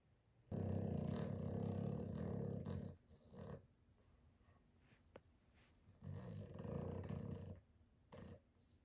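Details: A tired Boston terrier snores loudly in long, rumbling, low-pitched rasps, with quiet pauses between them, one of them very long.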